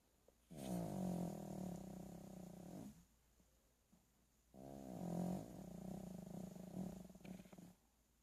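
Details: Sleeping dog snoring indoors: two long, rough, throaty rumbling breaths of about two to two and a half seconds each, separated by a quiet pause, with strong low buzzy resonance.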